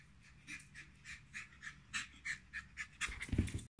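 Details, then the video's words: Brussels Griffon puppies from a kennel, heard in quick rhythmic panting of about three breaths per second, growing louder and rougher toward the end before a brief close-up rustle cuts it off. "Puppies of brussels griffon"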